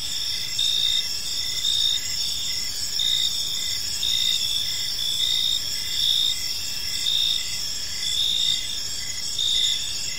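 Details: Gentle evening chorus of crickets in a serene park; sustained high trilling with louder pulsed chirps recurring about once per second, low hum in the background.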